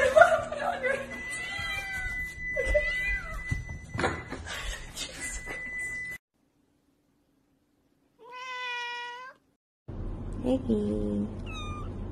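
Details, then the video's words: Domestic cat heard amid mixed indoor sounds: short rising mews over background noise and a tone, then after a silence a clear, level meow of about one second, followed by further short cries. "Cat Meowing Sound Video Collection-Cute Cat Meowing Sound"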